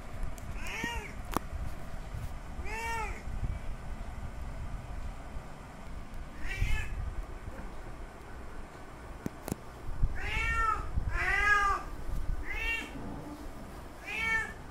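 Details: Male domestic cat calling to a female in heat for mating: a series of about seven loud, drawn-out meows, each arching up then down, spaced irregularly and bunching closer near the end, over low rumbling background noise.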